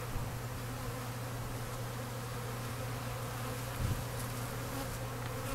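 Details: Honey bees feeding at an open feeder on a cold-night spring day, some fighting at the feeder; a dense, steady low buzzing hum of many bees runs throughout with no break.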